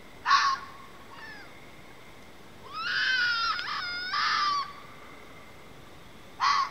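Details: Fox outdoors, calls probably linked to mating: four hoarse, strained screams, a short burst, a long quavering scream with wavering pitch, another burst, and a final short shriek, over a quiet background.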